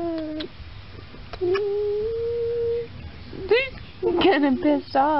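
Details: German Shepherd playing with a stick, vocalizing in drawn-out, steady whining tones that break into short rising yelps and wavering cries toward the end, with a person talking to it.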